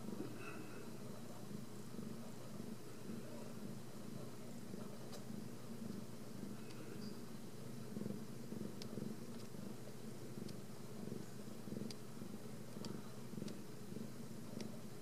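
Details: Home-raised Ragdoll kittens from a central Kansas cattery, kept uncaged, give a long, unbroken purr. The deep buzzing drone throbs regularly throughout, with occasional light clicks and a brief faint squeak early on.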